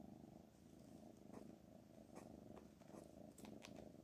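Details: Deep, even purring from the cat Black Panther, a soft vibrating rumble that holds without pause while a few faint taps and ticks sound in the background.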